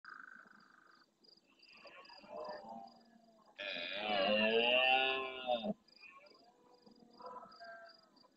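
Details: Large red deer stag roaring intensely at nightfall near a fixed camera in the Doñana National Park marsh at El Rocío, Almonte, Huelva, Spain, answering more distant stags. One harsh, rasping roar lasts about two seconds, preceded and followed by fainter calls.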